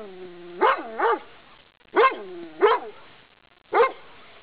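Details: Dog barking furiously through a fence at a walker on a quiet path; five sharp, loud barks, delivered as two quick pairs and a single final bark, each with a short falling tail, in an otherwise quiet outdoor setting.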